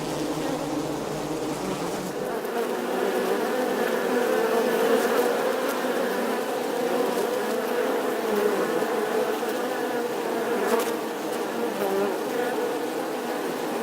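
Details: Colony of honey bees buzzing in their hive, a constant, even drone of overlapping wingbeats with soft whining tones riding on top. A sharp tap comes late on.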